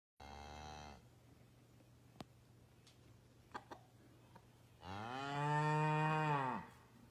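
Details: Highland calf at a Canadian homestead, escaped from its field and playing with a Basset Hound; a short moo, then a longer, louder, steady moo with a slight drop at the end, quiet background between.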